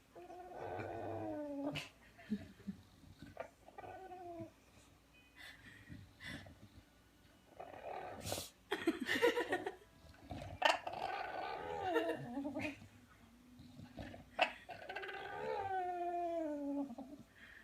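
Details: Bulldog making strange noises: drawn-out, whiny moaning sounds that rise and fall in pitch, coming in several bouts separated by brief snorts and sharp clicks, with a long wavering moan near the end.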